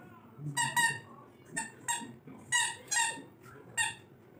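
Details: Labrador Retriever puppy at play with a toy, letting out a series of short, bright, high-pitched yips and barks in irregular bursts, some doubled, over a quiet indoor background.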